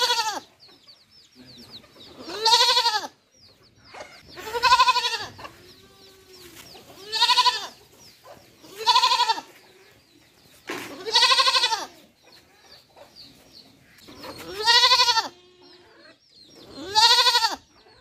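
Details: Baby goat giving loud, quavering baa bleats about every two seconds, each a second or so long and strained, with faint high chirping and soft murmuring between calls.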